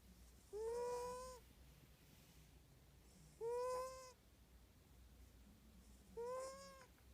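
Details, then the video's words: A snoring pet cat gives three whistled, tonal breaths with bright harmonics, each under a second and slightly rising, evenly spaced about three seconds apart over a quiet low room hum. "Snoring Kitty!!!"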